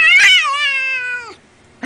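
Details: Domestic cat giving a single drawn-out meow of about 1.3 seconds, opening bright and strained, then sliding slowly downward and fading, with a short soft sound just after.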